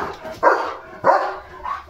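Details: Leo, a German Shepherd being bathed, lets out two short, loud barks roughly half a second apart, ending in a softer, fainter yelp.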